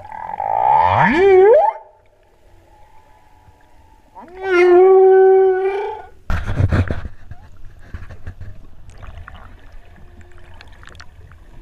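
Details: Humpback whale song during a freedive off Hawaii's Big Island at the 2015 spring equinox total solar eclipse: a rising harmonic whoop, then a steady tonal moan, followed by a brief broadband grunt and faint background calls.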